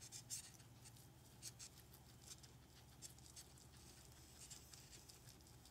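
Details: Indoor guinea pigs Ozzy, Ginger, Speedy and Daisy chewing on camera. Crisp bright crunches come in little clusters about every second, with a faint low room hum beneath.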